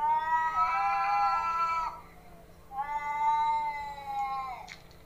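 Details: Domestic pet cats in a fight: two long, sustained, loud caterwauls, rich in harmonics and held at a nearly level pitch, the first lasting about two seconds and the second slightly wavering before ending with a short click.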